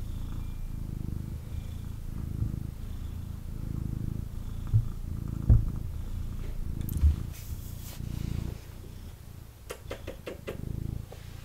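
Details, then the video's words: Snuggling male kitten giving a strong, low, throbbing purr in breath-by-breath pulses, with brief rustling and crackling from movement and camera handling toward the end. "Kitten Purrs and Snuggles"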